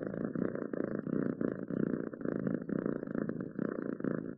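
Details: Pet cat purring, a deep continuous rumble swelling and easing in even pulses roughly every half second, close and clear in a quiet room.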